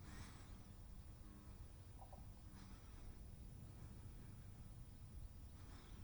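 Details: Sneezing house cat: three abrupt breathy bursts near the start, middle and end, with a brief faint squeaky note between them, all over a continuous low drone.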